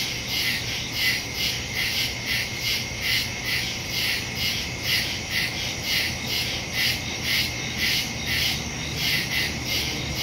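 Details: Crickets chirping in the woods at night, recorded September 2, 2023 with a Samsung Galaxy S22 Ultra phone and Shure MV88+ stereo microphone; high, pulsed chirps repeat roughly twice a second in a dense overlapping chorus over a faint low steady hum.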